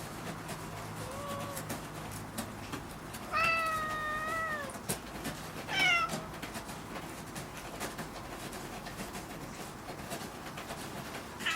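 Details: Domestic cat Kuri talking at home among several pet cats while another cat, Gon, scratches a board rhythmically; a soft short meow, then a long wavering meow and a brief rising one, over a steady background hiss and light tapping.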